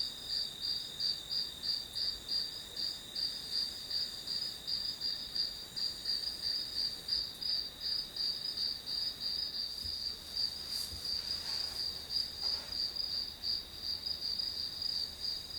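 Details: Grass insects used as a backdrop for an hour of study: a steady, high, shrill trill that pulses about three times a second without pause, with a few faint soft knocks midway and a quiet background hiss.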